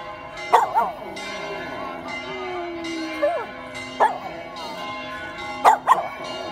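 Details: Pet dog Billy sings with church bells in Vasto, drawn-out howls sliding down and up between sharp bell strikes and a sustained humming bell drone, which dominates throughout.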